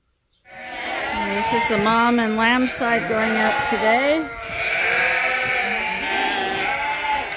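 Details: Domestic sheep at Ewetopia Farms on a morning when the flock waits at the gate to be let out to fresh pasture, bleating in wavering, overlapping tones with steady background noise and possibly human voices.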